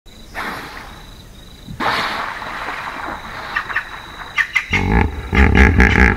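A hippopotamus gives deep, rhythmic grunting honks that build into a loud pulsing bellow.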